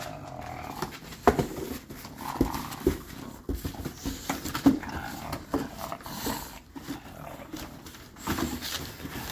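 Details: Bulldog puppy throwing a teething tantrum, giving scattered low growly grunts and snorts in uneven bursts, with thumps and rustling between them.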